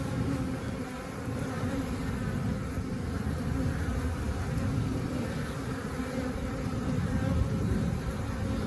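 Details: A steady, low hum of many honey bees buzzing together as they busily collect nectar outside the hive, the sound of a calm, busy colony.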